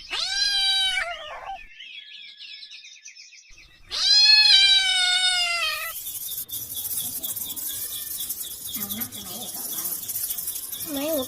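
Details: Kitten calling for its mother: two long, loud, pleading meows, each holding steady then dropping at the end, followed by broad hissing noise and faint scattered chirps.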